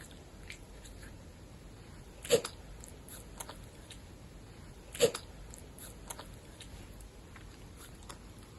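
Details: Gosha, the caracal known as Big Floppa, sneezing indoors: two short, sharp explosive bursts about three seconds apart in an otherwise quiet room.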